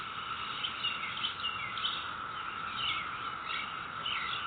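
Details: Neighborhood cicadas recorded May 22, 2021, producing a constant level drone that never wavers, overlaid by frequent bright bird chirps and short whistled notes.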